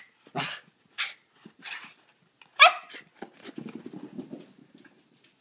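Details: A dachshund obsessed with a rarely given, stuffing-free fabric squeaky toy tries to "kill" the squeaker: short breathy huffs, then a low rumbling growl, with a sharp toy squeak between.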